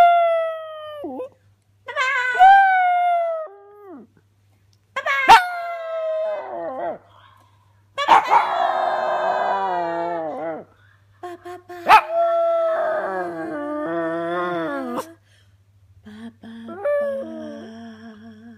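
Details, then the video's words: Jack Russell and pug cross, a female pet dog, howling along as her owner sings: long wavering harmonic howls with sliding pitch, rising and falling in phrases separated by short pauses, mixed with the woman's singing voice. "Jack Russell Pug (jug) singing with Mama"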